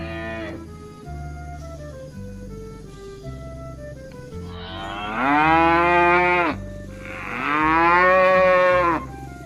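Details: Herd of cattle walking home to the pen in the evening; background music with steady tones, then two loud rising moos, each lasting over a second, about two seconds apart.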